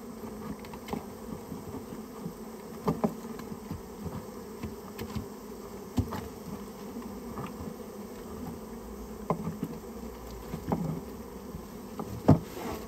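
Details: Buzzing of a Japanese honey bee colony built inside someone's storehouse and being cleared out. A dense low hum runs throughout, with frequent sharp clicks and knocks, and a louder bang near the end.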